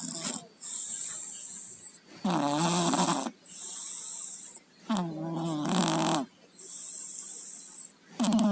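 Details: Tayen and Lilu, two house cats with colds, snore steadily while asleep, each breath a loud, hoarse, rattling rasp with a nasal buzz, about one every three seconds, alternating with hissy exhalations.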